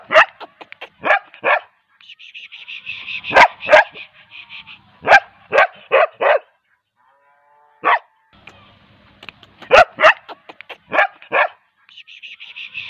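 A young Bull Terrier gives sharp, high barks in quick bursts, with squeaky whines between them.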